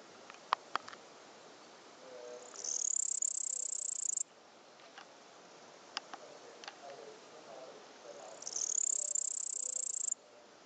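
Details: Male cricket spotted in Upper Bavaria, Germany, chirping: two long, high, buzzy trills, each about one and a half seconds, swell in quickly and stop abruptly about six seconds apart, with a few faint clicks between them.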